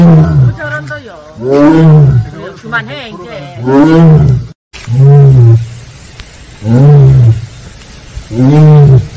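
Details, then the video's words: Siberian tigers of the Penza family at Seoul Grand Park, Korea, giving their "aung" calls: deep, moaning, arched calls with rich harmonics, each about a second long, repeated in a loose series with brief gaps between them. "펜자네 가족 아웅 총 모음. 아웅~~~~"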